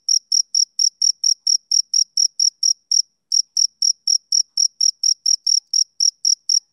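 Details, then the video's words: A male cricket sings on a summer evening, sharp high pulses in a rapid regular series, broken by one short pause near the middle before the rhythm resumes; nothing else is audible. "Cricket Chirping Sound Effect"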